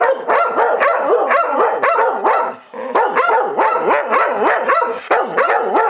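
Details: Arguing dogs Chewy and Rosie trade rapid, overlapping yodel-like barks. The pitch swoops up and down about three or four times a second, and the loud exchange keeps going with one brief dip midway.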